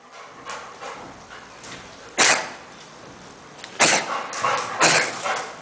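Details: Rottweiler in Nigeria giving three sharp, harsh barks spaced a second or more apart, separated by quiet stretches with faint background noise.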